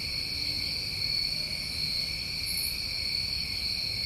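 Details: Continuous ringing trill of many summertime crickets recorded in New England, steady and high-pitched, with one brief fainter buzz higher up midway.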